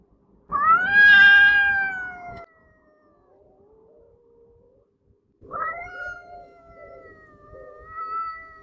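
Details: Female domestic cat howling at a second cat out of view, which howls quietly too; a loud two-second harmonic wail, a faint low moan in the pause, then another steady howl rising and falling over three seconds.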